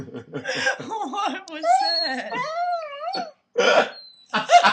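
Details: Pet corgi 'talking' while begging for food indoors: long sliding, moaning tones that rise and fall in a whiny, voice-like way, with a person speaking and chuckling before and after.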